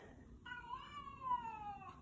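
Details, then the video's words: House cat welcoming its owner home with a long, clear meow, steady then gently sliding downward for about a second and a half, between the owner's affectionate words. "My Talking Cat Shadow greeting me when I get home with a hello"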